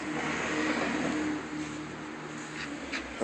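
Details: No animal voice, only a car engine droning and revving outdoors, with steady broadband road noise throughout.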